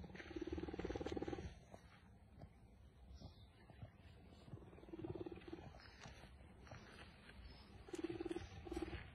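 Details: Leopard described as a friend to humans, heard in a low, pulsed rumbling purr that swells in three bursts, at the start, near the middle and at the end, with scattered clicks and handling noise between them.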